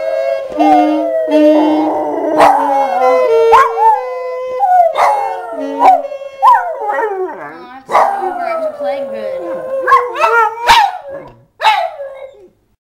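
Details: A 6½-year-old Labrador Retriever howls in long, wavering, sliding tones along with The Star-Spangled Banner being played; a 2-year-old Boston Terrier is also present.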